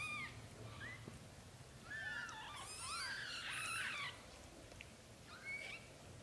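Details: Several young British Shorthair kittens, in their first 30 days, mewing together in overlapping thin rising-and-falling cries that crowd the middle seconds, with a few lone mews before and after over steady background hiss.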